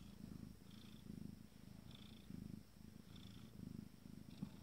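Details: Fourteen-day-old Abyssinian kittens of a first litter purring contentedly; low rumbling purr swelling and fading in regular breaths, under one per second, with a faint higher wheeze on each cycle and a quiet background.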